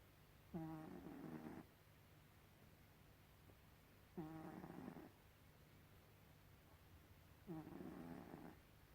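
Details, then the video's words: Gribouille the domestic cat snoring indoors: three long rasping breaths, each about a second long, recurring roughly every three to four seconds with quiet pauses between. "Gribouille the snoring cat"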